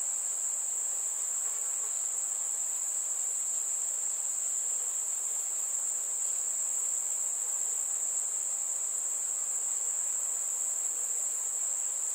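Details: Chirping crickets on a warm summer night give one continuous, very high, even buzz that holds without a break from start to end.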